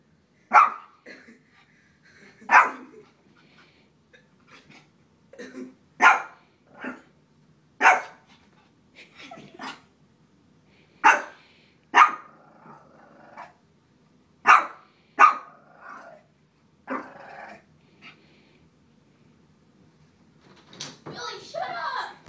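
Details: A small Shih Tzu barking at a frog gives sharp, high-pitched yaps in an irregular series, some single and some in quick pairs, spaced a second or two apart; near the end a person speaks briefly.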